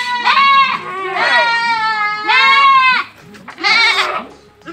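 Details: Young Boer goats at a partner farm's pen in Blitar, kids being harvested: three strong, quavering bleats, each about a second long, followed by a rougher fourth call.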